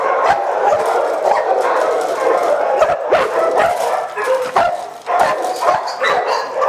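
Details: A chorus of Boxer dogs in shelter cages: constant overlapping barking and yipping, some higher whining notes rising above the din, and a brief quieter moment near the five-second mark before the barking swells again.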